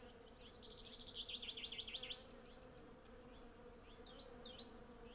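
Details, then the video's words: Hundreds of western honey bees collecting from a blossoming cherry tree make a steady, low droning hum. Rapid, high, repeated bird trills and chirps sit clearly above it. "Honey Bee Sound Library"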